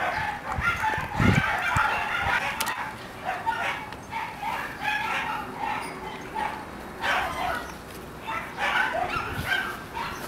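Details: Red female Shiba Inu puppy: high, short yelping and whimpering calls repeated in irregular bursts throughout, with several overlapping cries and a few soft low thumps early on.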